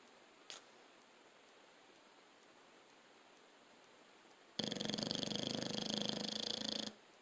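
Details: A dog snoring, one long rasping breath of about two seconds made of rapid fluttering pulses, starting abruptly after a quiet stretch with faint room hiss and a single short click near the start.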